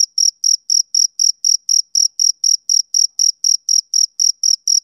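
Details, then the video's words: High, ringing chirps from a male cricket on a summer evening, steadily repeated about four times per second, each burst brief with clear silence between; a quiet, uncluttered background. "Cricket Chirping Sound Effect"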